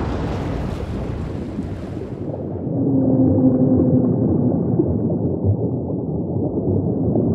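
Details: Song of a humpback whale: after a burst of broadband surf-like rush fades, a pair of level, sustained moans sound together for about a second, set in a constant low underwater rumble.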